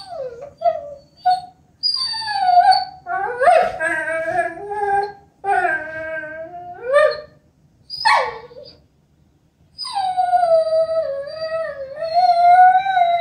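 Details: Sookie, a female Vizsla, whines in long, high, wavering tones that slide up and down; Vizsla (Canis familiaris) whining.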